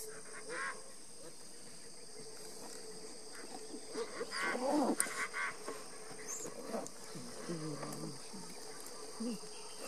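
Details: Giant otters, including a baby, on the Tres Irmaos river give a cluster of short squeaky and honking notes over a steady insect drone.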